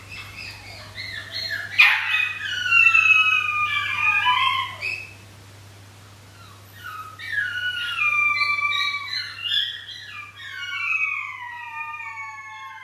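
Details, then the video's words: Three 13-week-old sheltie puppies howling at night, started by one lonely pup, then all calling for their pack: several voices weaving high quavering slides, falling and rising, with a short pause midway before the chorus resumes. "Pure bred sheltie puppies or wolf hybrids? - howling"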